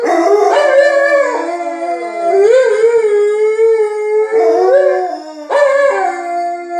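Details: Indoor Alaskan Malamutes Tuvaaq and Aanaga announce themselves to people outside with drawn-out, wavering howls, several overlapping phrases that rise and fall, separated by short pauses, one howl sweeping upward midway.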